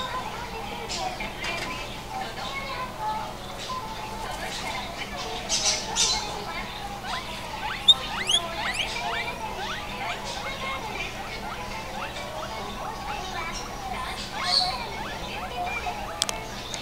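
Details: Guinea pigs at Amigo Tsuyama store: many short rising squeaks and chirps overlapping continuously, with occasional clicks and faint background voices and hum.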